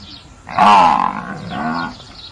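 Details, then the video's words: Rough, grunting bellow from a farm buffalo: a loud, harsh burst lasting about half a second, then a weaker, lower second grunt, over a faint outdoor background. "Buffalo Sounds"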